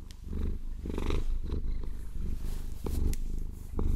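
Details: Close, loud purr from Maine Coon cat Vasilisa as she is massaged with long nails; a continuous low rumble with breathy swells, punctuated by crisp clicks and taps of nails.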